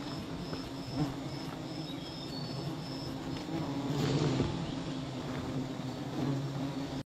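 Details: A low, even hum of many bees around a tree with 11 wild hives that has been struck, steady throughout with a swell near the middle, while short high-pitched pulses repeat early on over a hissing outdoor background.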